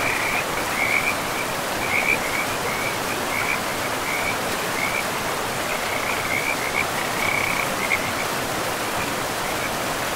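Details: Beside a river deep in a pristine forest, frogs give high, trilling bursts at irregular intervals, some brighter than others, over a continuous roar of running water.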